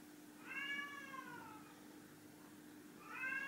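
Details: Chai, a ginger tabby pet cat, meows during a food-guessing shell game: a long falling meow lasting about a second, then a second meow starting near the end, over a steady low indoor hum.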